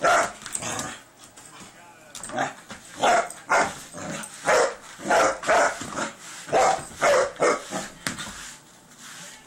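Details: Irish Wolfhound puppy Poncho, three months old, keeps barking at the broom or vacuum cleaner: a steady run of about a dozen hoarse, mid-pitched barks, some in quick pairs, with brief pauses.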